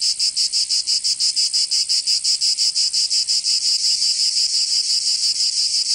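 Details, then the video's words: Cicada song recorded in summer in Provence, France: an intense metallic buzzing that pulses in fast, even beats near three per second, smoothing into a steadier whine toward the end. "Canto Cigarra 🦗 [ Escuchar les cigarras en verano 10 H]"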